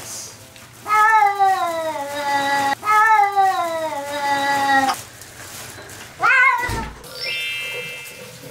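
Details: Talkative four-year-old large mixed-breed male house cat chattering with its owner indoors: two long drawn-out meows sliding down in pitch, each about two seconds, then a short rising-falling meow, with faint background sounds.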